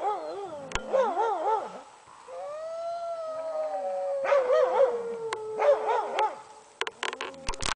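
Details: Sled dogs howling, with quick wavering yodel-like notes, a long steady tone in the middle, then more warbling howls and a few sharp knocks at the end.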